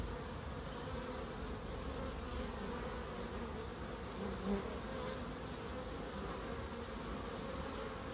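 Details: Continuous humming of bees in a small garden in Crookes, an even drone layered in several steady bands, broken only by one brief soft tick midway.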